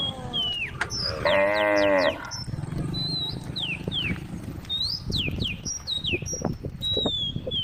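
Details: A single short moo from a cow being led to the stable, followed by chirping and whistling birds over faint background rustle.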